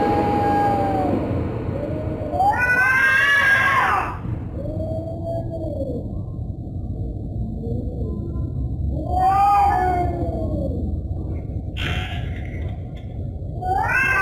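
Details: Threatening cat yowls: slow, curving moans broken by two loud, screeching outbursts. A short sharp cry comes near the end, with a continuous low hum in the background.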